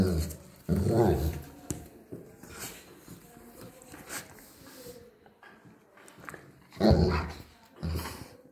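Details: Two Bernese Mountain Dogs reacting to being blown on: two loud, low, rough bursts about six seconds apart, with quieter grumbling sounds between them and some human voice in the background.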